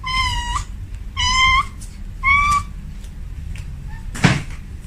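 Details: Female domestic cat calling a male at home, giving three drawn-out, clear meows about a second apart, each slightly rising then flattening, followed by a short sharp knock and low background hum.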